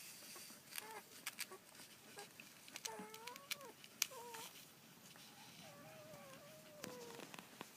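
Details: Collie puppies aged 1 and 14 days, filmed 1 June 2013, give thin, wavering squeals that rise and dip, with a cluster of whines near the middle and a longer drawn-out one toward the end, over sharp clicks and rustling handling noise.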